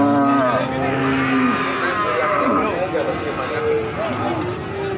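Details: Cattle crowded at a livestock market in Pati on 7 April 2020, several overlapping drawn-out moos at varied pitches, some bending downward, with steady human chatter and market din throughout.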